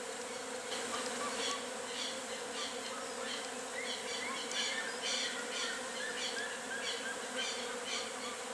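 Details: Busy wild colony of western honey bees, their constant humming buzz forming an even drone, while light high-pitched chirps come and go above it.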